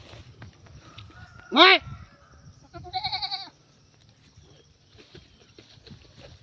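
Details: Playful, mischievous goats give a loud wavering bleat with stacked harmonics, then a shorter pulsed, stuttering bleat about a second later; faint voices and background noise around them.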